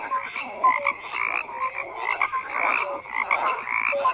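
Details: A frog chorus of overlapping croaks, harsh pulsed calls mixed with short clear tonal notes every second or so, thick and unbroken.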